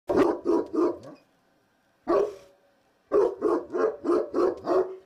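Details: Cotto, a Cane Corso guarding by the gate, barks at window cleaners he knows are next door but cannot see: loud, deep, powerful barks in bursts of three, a single bark, then a run of six.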